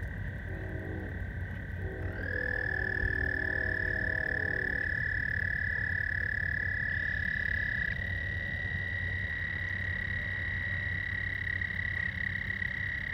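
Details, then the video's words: At George Lake, Whiting, Indiana, frogs call after dark on 15 May 2020. Continuous high-pitched trills overlap, with a new caller entering after two seconds. Short bursts of lower, ladder-like buzzing are mixed in early on. "George Lake- Whiting, Indiana. Night sounds. Frogs"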